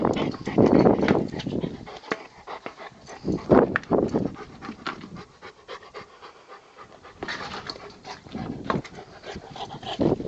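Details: Male Rottweiler at play with a tyre: bursts of heavy, quick panting that pause briefly midway and then resume, along with soft knocks and rustling.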